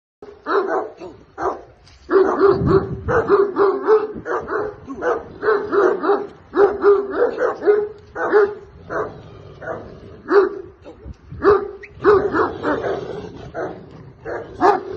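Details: Caucasian Shepherd Dog. A Caucasian Shepherd Dog barks steadily in deep, full-throated bursts, often two or three a second. The barks run almost without pause, with only brief gaps between short volleys.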